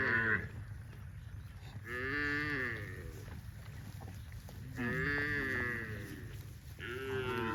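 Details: Dozens of tame cows running in green grass rice fields on a cattle farm; several drawn-out, wavering moos with rich harmonics, about four calls spread across the stretch, over a steady low rumble of background noise.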